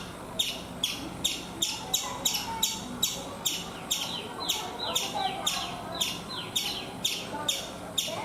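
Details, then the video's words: Chipmunk on a coconut tree in India giving sharp, bright chirps repeated steadily about twice a second, each a quick descending chip, with a faint background hum throughout. "Chipmunk making sounds"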